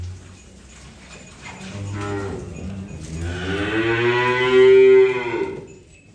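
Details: Unloading of cattle: low rumbling lows build into one loud, bright moo that swells and then fades over about two seconds.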